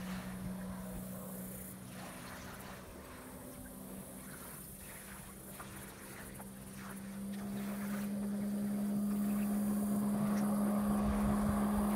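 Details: A motorboat engine drones steadily beneath gusts of wind and lapping water, growing louder toward the end, with no animal voice heard.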